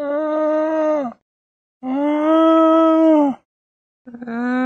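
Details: Llama calling: two long, steady, harmonically rich nasal tones of about one and a half seconds each, split by a short silence, with a third call beginning at the end.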